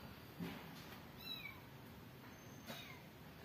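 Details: Mother cat with newborn kittens; thin, high mews slide downward in a quick pair, then a fainter one follows, over a quiet background hiss.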